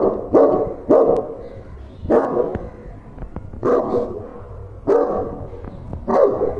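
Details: A dog confronting a stranger gives loud, harsh barks, about six in under seven seconds, spaced unevenly with short gaps, over low background rumble.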